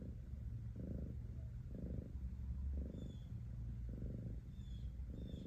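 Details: Deep, rattling cat purr rising and falling in about five strong surges, each roughly half a second long, with a few faint high chirps audible.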